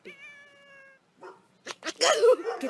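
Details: A cat gives one steady, drawn-out meow of about a second, followed by a short soft sound, then louder rustling, knocks and a person's voice indoors.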